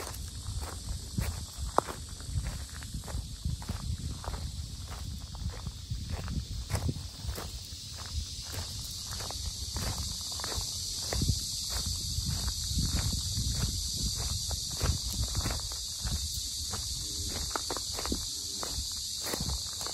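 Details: Very loud cicadas fill the Sinjeongho lotus park in Asan, Korea, with a constant shrill hissing drone that never pauses, while walking footsteps thud in a steady rhythm underneath, nearly two steps a second.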